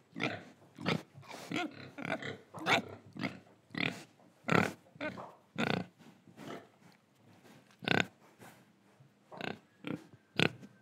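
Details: Pig in Indonesia breathing and eating, producing a string of short, rough oinking grunts and snuffles at irregular intervals of roughly half a second to a second, some louder and sharper than others.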